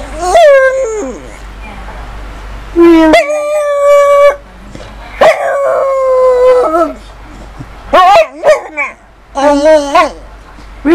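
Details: Female pet dog 'talking' in howls: repeated drawn-out tonal moans, some bending upward and falling, in about six bouts separated by short silences, with rich overtones.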